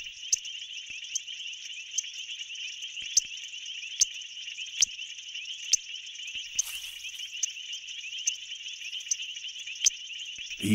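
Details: Male painted reed frog (Hyperolius marmoratus) in a South African pool gives sharp, clicking advertisement chirps about once a second over a high buzzing chorus; loudest caller for its size, heard over a mile away, and females choose the loudest, fastest caller.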